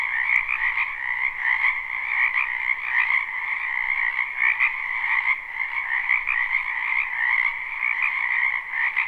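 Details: A frog chorus from a wetland in spring, recorded live: steady, overlapping buzzy croaks in two bands that pulse faintly, with a low hum early on and an occasional click.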